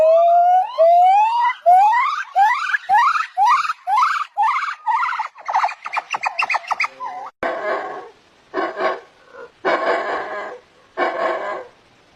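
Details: Monkey calls: a run of rising whistled upsweeps, each quicker and higher than the last, followed by harsh, noisy screeching bursts repeated about once a second with short pauses between.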